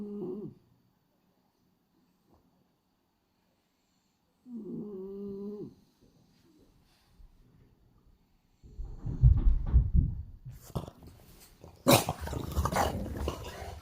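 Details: Hachi, a male French Bulldog with black-and-white pied coat, gives two short whistling snores in his sleep, then loud rustling and thumps as he jumps up when someone arrives.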